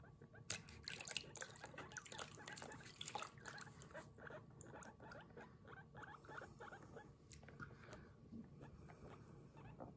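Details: Kurumi, a pet guinea pig, squeaking 'puipui' while being washed at bath time indoors; a dense run of short, rapid, pulsed chirps fills the stretch, with faint splashing and handling noises beneath.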